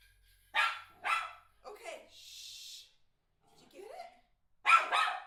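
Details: Eight-month-old male miniature schnauzer going crazy over a certain ball: three sharp, harsh barks, two close together early and one late, with a person's short speech and a brief hiss between them.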